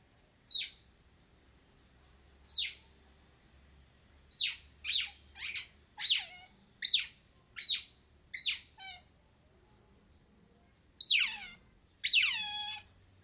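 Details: Otter in the wild giving sharp, high squeaky chirps, each a quick downward-sweeping note, about a dozen spaced irregularly with some doubled or tripled, ending in two longer, drawn-out squeals; background otherwise quiet.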